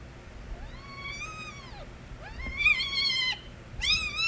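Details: Young stray kittens crying loudly: three drawn-out, arching meows, the second bending upward before dropping, spaced about a second apart, with no other sounds besides a low room hum.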